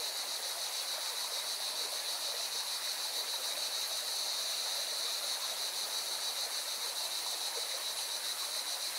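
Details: Singing cicadas at a mountain river in Valencia, Spain, give a continuous high-pitched, rapidly pulsing buzz throughout, mixed with the steady broad roar of rushing river water.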